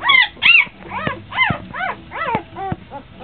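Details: Three-day-old Kuvasz puppies with their mother Brenda, Ch. Glacier Creek's Whispering Wind, recorded 4/28/09: shrill, arching squeals and whimpers, several overlapping, rising then falling, about two per second, with quieter mewling between.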